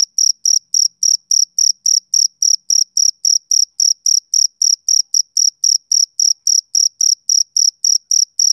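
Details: Male cricket chirping on a summer evening: high, shrill pulses repeated about three times a second in a steady rhythm, with no other sounds.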